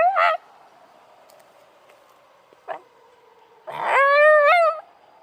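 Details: Out on a walk, a black Shiba Inu reacts to a police siren. A brief yelp opens, then a quiet stretch with a faint siren, ending in a rough, wavering howl about a second long.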